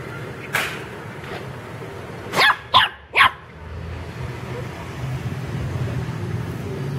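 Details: Playful pet puppies in a garden let out three quick high-pitched yaps in a tight cluster midway, after a faint earlier yip, with steady low background rumble and murmur throughout.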